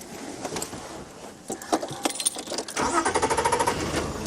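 A vehicle engine rumbles and idles with a metallic clatter, and no animal voice stands out.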